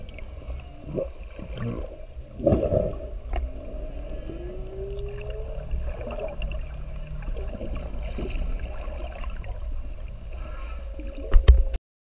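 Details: Humpback whale mother and calf drifting near the surface. A clear, smooth upward-sweeping moan rises over about three seconds amid low underwater rumble, scattered bubbling bursts and faint distant whale song, ending with a louder splash of noise.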